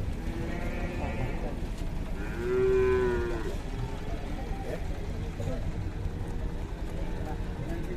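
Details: Cattle, a cow newly arrived from a cattle workshop in Indonesia, described as aggressive: a single drawn-out, harmonic moo around the third second, standing over a steady background of low rumbling noise.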